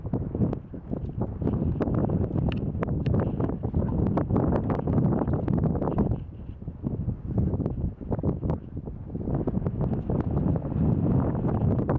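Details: Steady wind buffeting the microphone, with a low rumble and rustling, and no clear animal calls.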